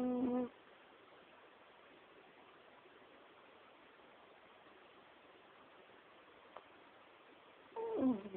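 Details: Female Chihuahua sound asleep beside her owner, snoring heavily, captured on a mobile phone: a squeaky, whistled snore with rising and falling overtones at the start, then a long stretch of faint hiss before a second whistly snore at the end.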